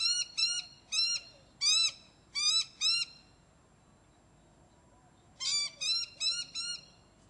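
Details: Young Ocicat named Demetri, four months old, outdoors on harness and leash, utters six short, arched meows, falls silent for two seconds, then repeats four more in a quick series.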